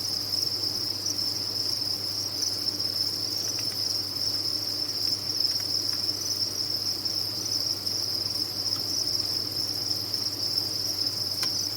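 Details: Massed captive crickets on a cricket farm keep up a steady high-pitched ringing chorus, punctuated by a few brief faint clicks, over a quiet low-pitched hum.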